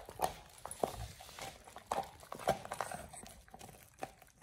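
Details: A Pit Bull named Oliang chews a raw ostrich paw on his first try. A few loud cracking bites land roughly every half second, with moist gnawing and crackle between them.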